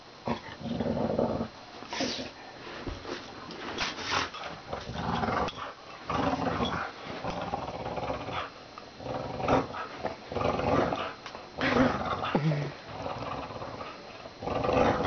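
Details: Pet dog named Dory growling in bursts while playing tug-of-war indoors, rough low rumbles rising and falling with pulls, pauses between bouts, scuffling and movement noise throughout.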